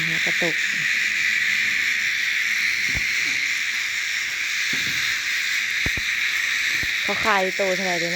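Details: Even, hissing cicada chorus runs without pause, overlaid by scattered clicks and short bursts of human speech, especially near the end.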